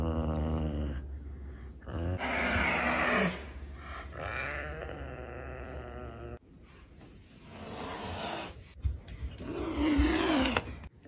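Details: A female serval gives harsh, breathy hisses mixed with low, rumbling growls.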